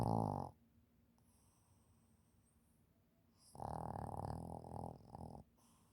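A Shih Tzu snores in loud, rattling bursts separated by quiet breathing pauses.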